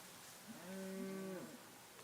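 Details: Cows mooing at a farm in Montezuma, New York, on 4 November 2017, with a Cattle Egret feeding on insects nearby; a single steady, tonal moo under a second long against a faint background hiss.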